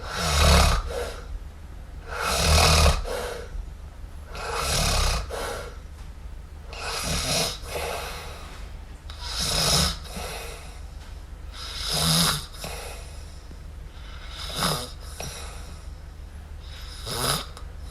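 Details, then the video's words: Sleeping kitten MiuMiu snores steadily, about one breathy, rasping snore every two to two and a half seconds, each a broad hissy burst with a soft low rumble, in a quiet room. "Cute Kitten Snore! Cute Miumiu Snore"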